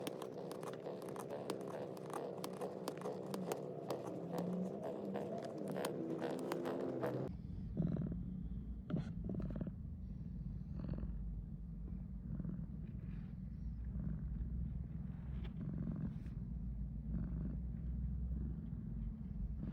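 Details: Male Siamese cat purring while kneading against a pet carrier used for vet visits in morning sunlight: a steady low rumbling purr, with rhythmic scratchy kneading noises over the first seven seconds.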